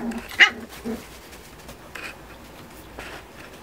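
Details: Play-fighting Miniature Schnauzer puppies, 45 days old from a litter of eight, mother keeping watch from afar; one loud short yelp early on, followed by a low whimper and two faint brief squeaks.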